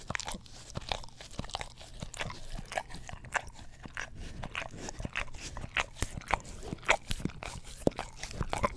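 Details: Pet English Cream Golden Retriever licks a tongue cleaning brush, close-miked with a Blue Yeti stereo microphone; crisp moist tongue clicks and slurps come in irregular bursts, several per second.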